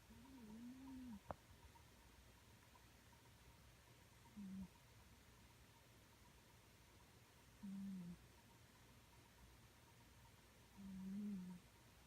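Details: Sleeping cat named Sango snoring after briefly noticing someone approach too closely. Low droning snores recur roughly every three to four seconds, each a steady buzzy hum under a second long. One sharp click near the start, otherwise quiet hiss.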